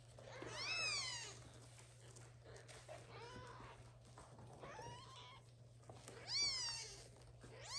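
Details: Little kittens meowing loudly to call their mother cat to come and feed them; high, arching meows in several overlapping bursts, loudest near the start and again toward the end, with quieter calls between.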